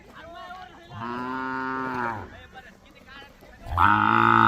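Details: Khillar or Mysore calves at a cattle market in Maharashtra, India, give two loud harmonic moos, the first drawn out over about a second, the second rising strongly at the end, amid background chatter.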